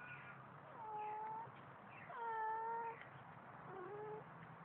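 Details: Baba, a domestic cat fond of water and described as singing, filmed on a Samsung Galaxy; three clear, steady meows in a row, the middle one longest and loudest, with short pauses between them.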